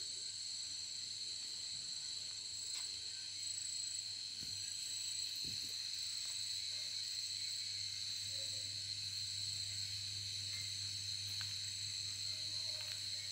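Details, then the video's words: Crickets and assorted other insects calling through a full-moon night at the Ajodhya Hill youth hostel, India; a steady high-pitched shrill drone with bright continuous bands, a soft low hum beneath and a few faint knocks. "আওয়াজ, ঝিঝি পোকার ডাক, নানা রকম কীটপতঙ্গের ডাক শুনুন।"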